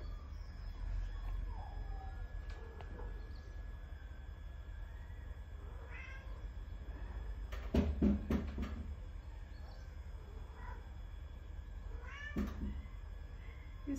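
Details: Charlie Chaplin, a pet cat responding to its owner in cat language, gives several short meows spread through the stretch, some upward-curving, amid low room hum and a cluster of sharp knocks or thumps near the middle.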